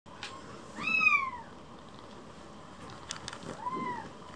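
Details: A rescued baby kitten, sulking indoors, gives one high, clear meow that rises then slides down, followed a few seconds later by a fainter, shorter mew over quiet room noise with a few light taps.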